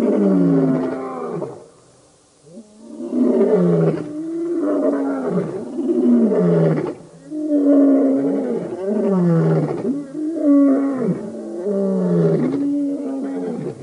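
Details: Birmingham Boys lion coalition roaring at a dam in Djuma Game Reserve, Sabi Sand near Kruger Park, South Africa, August 11-12 2016: deep, loud, repeated moaning roars in a steady sequence, about one every three seconds, one brief pause early.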